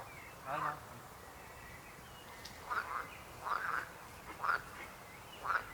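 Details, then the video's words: Frogs giving loud, rasping croaks, often doubled, in separate bursts about once a second with quiet gaps between, against faint background hiss. "Rechot żab. Croaking frog sound."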